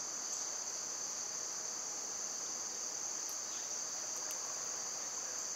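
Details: Constant shrill drone of summer cicadas, with a couple of brief sharp clicks late on and nothing else clearly audible.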